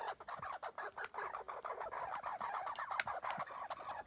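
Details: Rasping, fast chatter from red squirrels locked in a fight, an injured one among them still fighting, with dense broadband pulses tumbling one after another and few pauses.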